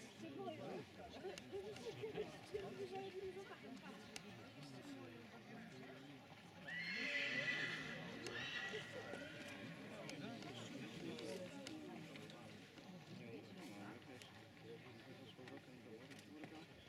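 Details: Silesian stallion at a 2019 stallion qualification in Książ: a bright, shaky neigh lasting over a second rises midway through, while hooves clip-clop and an announcer speaks in Polish.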